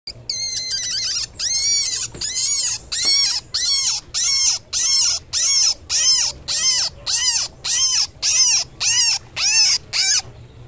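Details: A baby rabbit, taken from her nest box because she was not moving, gives a rapid series of thin, high-pitched crying squeals, nearly two each second; she stops crying when placed near her mother.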